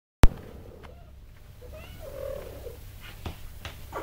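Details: Tipsu, a mother cat, calls and commands her kittens while teaching them to climb stairs indoors. A soft, short murmured trill rises midway over a steady low hum, after a sharp click at the start and light taps near the end.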